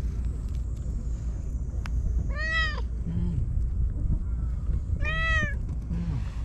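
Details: Shiro, a lone stray white cat living on seaside tetrapod blocks in Japan, warmly welcoming a visitor: two loud, arched, tonal meows about two and a half seconds apart over a steady low rumble, with a woman softly calling its name.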